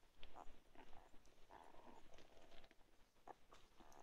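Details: Two-week-old chocolate Labrador Retriever puppies from Ruby's litter, indoors as their eyes begin to open: soft, high squeaks and whimpers come in quick short bursts, several overlapping over a low background rumble.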